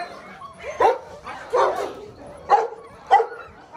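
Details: Six-week-old Belgian Malinois puppies from the Lorockmor Mensa x Pixel litter give four short, sharp barks spaced under a second apart, each a bright burst with a faint whine between them.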